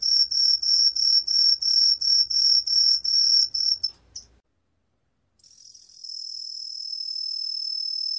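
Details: Green pine cricket giving rapid, high, ringing pulses about three per second, stopping after four seconds; a brief silence follows, then a continuous high buzzing trill.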